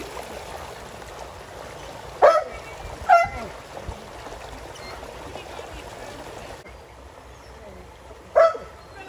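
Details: Border Collies Junior and Zeru splashing in a pool alongside a Springer Spaniel and a poodle; three short, abrupt barks, two close together and one after a long pause, over flowing water and faint talk.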